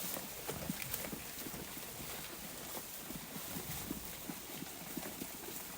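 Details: Flock of sheep feeding on grass, heard as sharp, scattered ripping and chewing clicks at an irregular rhythm, with steady background hiss.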